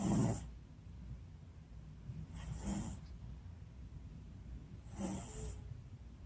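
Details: An American Shorthair cat snoring contentedly while asleep; soft, low breathy snores come in slow bursts about every two and a half seconds, with a faint hiss at the top of each breath.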